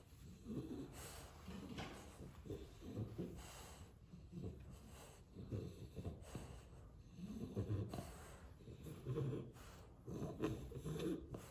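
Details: French Bulldog indoors, shown getting his way, giving a run of low, rough snorts and snore-like breaths in irregular bursts, with brief pauses between grunting exhalations.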